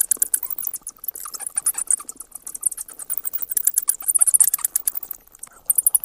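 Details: Bats chattering in dense bursts of sharp, high-pitched squeaks and clicks, rapid ticking pulses tumbling over one another with brief pauses, the busiest flurry near the end.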